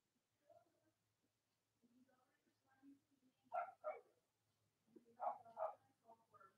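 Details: Cavalier King Charles Spaniel puppies from Robin and Myra's litters, indoors on a chilly Monday morning near Halloween in the US, giving soft whimpers, then two pairs of louder yelping yips with quiet murmurs between.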